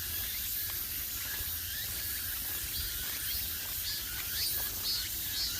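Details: Cicadas in the old-growth Gwangneung forest along the Gwangneung Forest Path, Pocheon, Gyeonggi Province, South Korea: a dense, steady high-pitched hiss of shrill buzzing fills the air with soft low rumble beneath while walking the trail.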